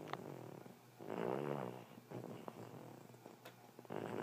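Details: Bulldog snoring while asleep indoors: a rough, rattling low snore swelling for about a second, quieter wheezy breaths, then another rasping snore beginning at the end.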